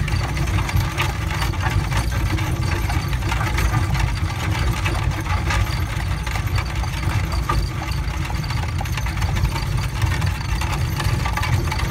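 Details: A steady idling engine drones and knocks throughout, with no animal sound.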